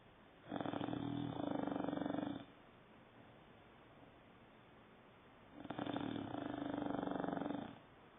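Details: Saddam, a dog nine months old, snores in a quiet room, producing two drawn-out buzzy, vibrating inhalations of about two seconds each, spaced around three seconds apart with near silence between.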